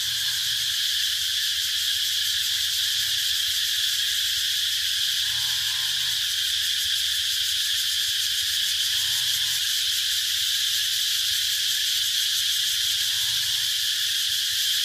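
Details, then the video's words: A continuous shrill cicada buzz fills the air without pause, while faint short warbling notes surface roughly every four seconds beneath it. "Cicada sound"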